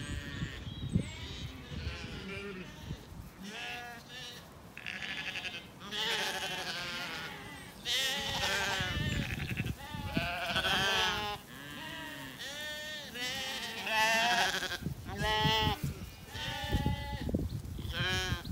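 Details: Ewes and lambs in a sunny, blossoming spring orchard in County Kilkenny, Ireland, calling to each other while grazing: many overlapping quavering bleats, high lamb cries and deeper ewe calls, following one another almost continuously, with faint birdsong behind them.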